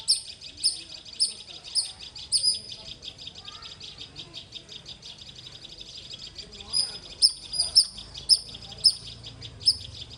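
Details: Squirrel giving loud, sharp high chirps in quick bursts, about two per second for three seconds, a pause, then another run of emphatic chirps; faint background noise.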